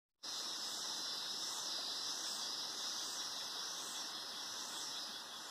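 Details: Cicadas singing in the Atlantic Forest at Sítio das Mulatas, Araras, Petrópolis, Rio de Janeiro, Brazil: a dense, steady high-pitched drone with slow swells in loudness that never breaks.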